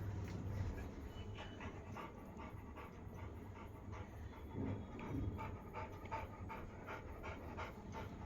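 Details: Soft, steady panting of a Labrador Retriever, fast airy breaths repeating through the whole stretch, set against a low background rumble.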